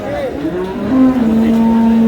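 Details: Cow at the Ambari cattle market (haat) in Dinajpur, where cows are sold with their calves, gives a loud, long, low tonal moo. The moo falls slightly, then holds steady, with faint market chatter behind.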